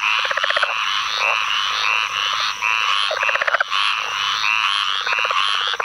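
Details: In a North Carolina field flooded by Tropical Storm Ana rains, May 2015, a southern leopard frog gives bursts of clacking, stuttered pulses about once a second, set against a continuous raspy and trilling chorus of squirrel and pine woods treefrogs.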